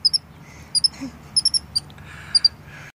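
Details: Masyanya, a pet female capuchin monkey, at her third birthday on 7 October 2016, with a dress, cake and candle in summer-like weather: short, very high chirps in quick pairs, repeated irregularly, over a quiet room hum.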